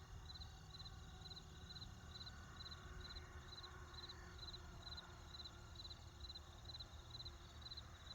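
Crickets chirp in short, high, even pulses over the low rumble of distant traffic.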